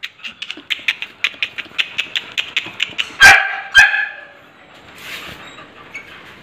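A Beagle puppy gives a quick run of high, thin yips, about four a second, then two sharper, louder barks before falling quiet.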